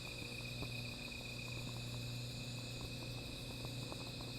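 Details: Night insect chorus by a small fire, one even, rapidly pulsing high-pitched trill holding steady the whole time over a constant low hum, with scattered soft crackling from the flames.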